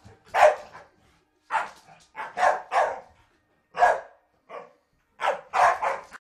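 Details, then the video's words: Staffordshire Bull Terriers in play fight, a dog letting out loud, rough single barks and paired yaps spaced about a second apart, separated by short silences. "staffs fighting"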